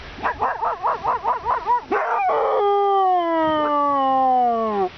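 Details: A Siberian Husky calls for his female companion, lost in the dark, starting with a rapid run of rising-and-falling yelps that give way to a sustained, richly harmonic howl that holds steady and gradually drops in pitch.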